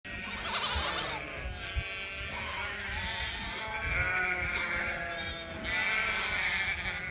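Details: Herd of farm goats stampeding across an open field toward new grazing pasture; overlapping wavering bleats from several animals throughout, with running and field noise beneath.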